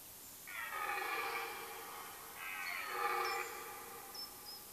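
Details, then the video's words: Red deer stag roaring in the rut, late September in woodland of Mecklenburg-Vorpommern, Germany: two rough, drawn-out bellows about a second apart, the second swelling louder, with thin high bird calls in the background. "Rotwild-Brunft Teil-1, rutting hart"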